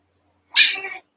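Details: Cavalier King Charles Spaniel puppy in a pen of eight littermates at play, giving one sharp, high yelp lasting half a second, bright at onset and trailing off, with silence before and after.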